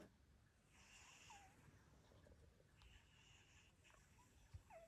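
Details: On Christmas Day, a sleeping cat snores softly, each breath a faint, wheezy rasp about every two seconds.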